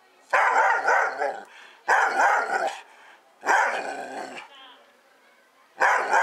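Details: Doberman Pinscher barking during play and exercise: four loud, harsh bursts of barking, each lasting about a second, separated by short quiet gaps, with no other clear sounds.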